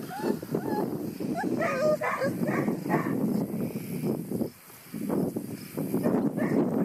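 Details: Vizsla puppies of a litter, hot pink, orange and black, on their first outdoor excursion; short high yips and whimpers come in a quick run over the first seconds, then softer squeaks among rustling and a steady low background rumble.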